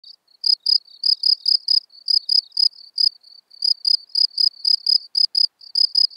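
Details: Common field cricket singing at Elsbethen, Austria, on 24 April 2020, recorded with noise removal: clean, high, shrill chirps of a few rapid pulses each, repeated about three times per second with short gaps, no other sounds.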